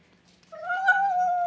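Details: Female Siberian Husky, indoors, excited after hearing talk of going out: one drawn-out, steady whine lasting about a second, holding a mid pitch with a slight lift near the middle and a quick drop at the end, in a quiet room.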